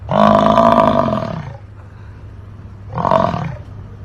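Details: Bison calling with a deep, harsh, rumbling roar that lasts about a second and a half, then falls silent before a shorter second roar about three seconds in.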